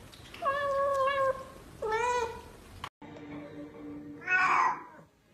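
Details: Kitten giving two plaintive meows, the first long and level, the second shorter and rising, followed after a cut by a fainter tonal sound and a brief, higher, strained mew.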